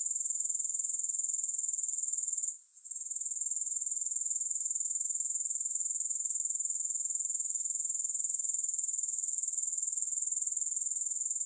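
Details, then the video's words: A sustained, piercing high trill of grasshoppers with no music, pulsing steadily, with one short gap near two and a half seconds before it continues evenly. "Grass Hopper Sounds"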